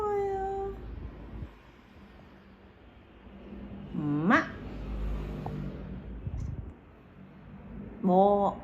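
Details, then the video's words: Pet cat named Kim Huchu, said to bark like a dog, gives three short harmonic calls: a brief falling note at the start, a sharp rising upward sweep midway, then an arched, clipped call at the end, with quiet room hum between. "개처럼 짖는 고양이 김후추"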